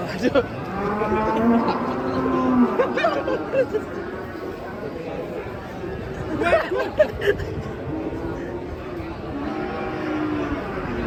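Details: Cow wearing a mask, worked up as it is unloaded from a truck, gives repeated long, low, groaning moos with rich harmonics, while people shout and call out around it.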